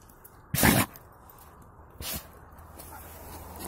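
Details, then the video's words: A single loud, explosive sneeze from Buran, a yard-breed Siberian guard dog with snow up his nose, followed about a second and a half later by a weaker short snort. "Собака чихает. Буран расчихался"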